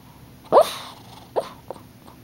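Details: Puppy dreaming in its sleep, letting out a sharp yelp-like whimper followed by two softer short whines, with a faint television voice in the background.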